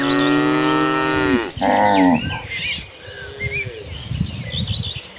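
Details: Mooing cows from a herd running across green pastures: a long steady low moo followed by a shorter one, then quieter rustling and bird chirps.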